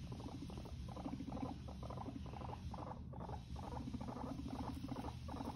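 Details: Fighting guinea pigs: a pulsed, throbbing rumble in regular bursts about twice a second, over a steady low hum.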